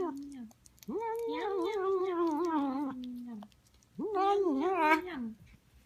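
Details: Female house cat making noises as she eats: two long wavering moaning calls, the first about two and a half seconds, the second about one and a half, with a quiet pause between, indoors.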